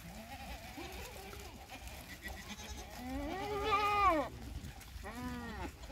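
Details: Sirohi goat kept for goat farming in Nagaur, Rajasthan, offered as an Eid Qurbani goat: a long, wavering, nasal bleat swelling then fading, followed by a shorter bleat, over steady background noise.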